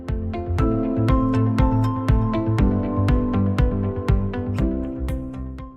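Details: Steady electronic music with sustained tones and a regular beat, no animal sound.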